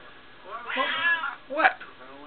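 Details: Female house cat Smokie voicing what is on her mind: a drawn-out, wavering meow followed by a shorter, sharper second meow, amid her owner's questioning voice.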